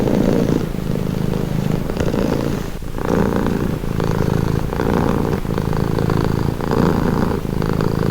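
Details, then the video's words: Continuous purring of a domestic cat, low and throbbing, rising and easing with each inhale and exhale in cycles of roughly a second, close and steady throughout. "Purring cat"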